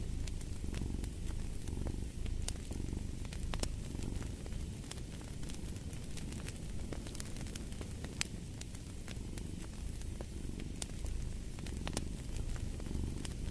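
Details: Low rumbling cat purr running under frequent fireplace crackles and pops, the fire prominent alongside the steady vibrating drone.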